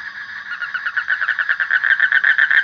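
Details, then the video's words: A frog gives a short, fast pulsing trill, a rattling run of mid-pitched beats that grows slightly louder toward the end. There is no background noise beyond a faint hiss. "Suara Kodok / Frog Sound"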